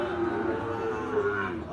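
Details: Brief steady moo from cattle at Ambari haat, a market for Gir and Sahiwal bull calves, held against constant market chatter.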